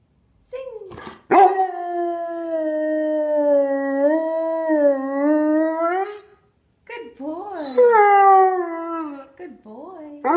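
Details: Three-year-old brown Labrador retriever male singing on command: long sustained howls with rich harmonics, steady then wavering in pitch, a brief pause, then rising and falling yodel-like notes, ending with short yips.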